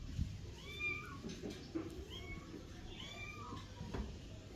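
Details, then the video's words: Two-month-old kitten meowing indoors: three short, high, arched mews in quick succession, each rising then falling, over a soft background hum and faint room noise. "two months old cat baby"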